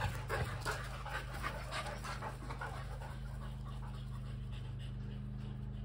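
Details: Panting Kelpie cross and Border Collie after chasing a tennis ball: fast, rhythmic breathy puffs about three per second, strongest in the first half, over a steady low hum.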